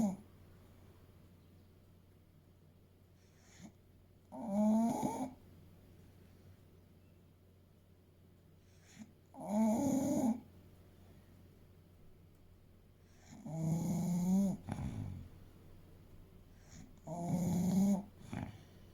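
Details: Sleeping English Bulldog Fuku, a male aged eight and around 30 kg, gives four loud, buzzy snoring breaths, spaced roughly four to five seconds apart, with near silence in the gaps.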